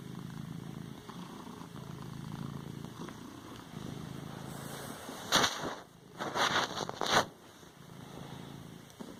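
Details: Pet cat padding a pillow, quiet purring rumble at first, then a sharp sneeze and a couple of bursts of snuffling, rustly noise near the end.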